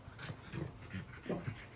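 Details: French Bulldog panting during a train ride: quick, breathy huffs, about five in under two seconds, low and rhythmic with a soft raspy edge.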